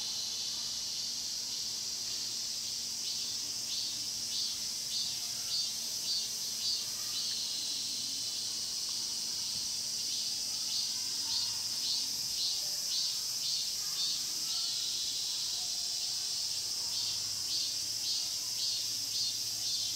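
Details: Pine-grove cicadas at Mokgye, Cheongsong, Korea, recorded on a Panasonic LUMIX GX9: a dense high shrill chorus overlaid by long runs of rapid rhythmic buzzy pulses, about two per second, pausing briefly midway before resuming.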